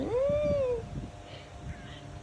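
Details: Kitten giving a single clear meow, a smooth rising-then-falling tone under one second, followed by quiet room noise and faint rustling.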